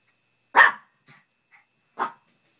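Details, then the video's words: Two Chihuahuas play wrestling indoors; one sharp yappy bark, a couple of faint short grunts, then a second bark about one and a half seconds later, with quiet room between. "Wrestling chihuahua style!!!"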